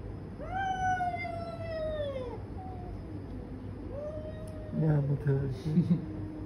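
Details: Domestic cats fighting: a loud, strained yowl sweeps down over two seconds, a shorter wail follows, then a burst of louder mixed sounds near the end.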